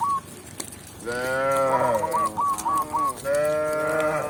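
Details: Tame village cow led to the pen by a shepherd, one long harmonic moo of about two seconds that dips and swells, followed by another steadier moo, with bright bird chirps overlapping.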